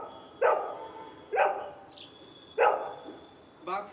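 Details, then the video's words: Golden Retriever barking on the speak command during dog training: three sharp, short barks about a second apart, followed by a softer fourth bark at the end, with faint speech in the background. "golden retriever speak dog training"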